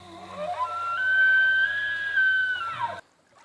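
An elk bugles: a low start sweeping up into a long, high, pure whistle held about a second and a half, then sliding down before cutting off.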